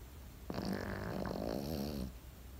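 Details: A Pekingese snoring in its sleep: one long, gravelly snore of about one and a half seconds, low and vibrating with wavering rasp, starting abruptly and fading out, over a quiet hum.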